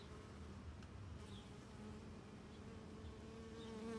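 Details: Honeybee worker foraging up close on Rose of Sharon flowers, giving a steady, low droning buzz with faint humming overtones that grows louder toward the end; no other clear sounds.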